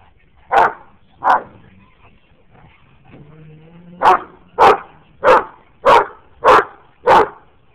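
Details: Anatolian Shepherd, Great Dane and Boxer roughhousing together, Daisy among them: two barks, a soft low whine-like growl, then a run of six rapid, regular barks close together.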